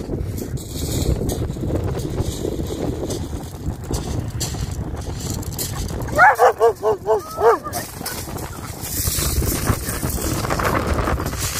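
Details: German Shepherd named MannyMoo, excited during a spring beach walk and fetch game in the UK on 29 March 2021: a quick burst of about six harmonic, yelping barks mid-clip over a steady roar of wind and surf.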